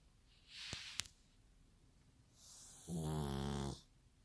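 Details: Snoring pug, a soft hissing exhale and two sharp clicks, then one long rattling, vibrating snore lasting nearly a second.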